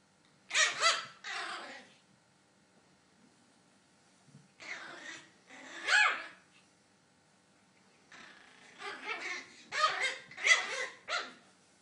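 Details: Small Maltese pocket puppy letting out clusters of quick, high-pitched yaps and huffs, three bursts separated by brief silences, the final burst a rapid run of several sharp yips.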